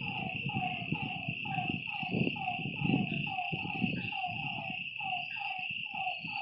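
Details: Lakeside frogs calling at night, short downward croaks repeating over a high steady drone, partly covered by rumbling low-pitched noise bursts like wind or handling.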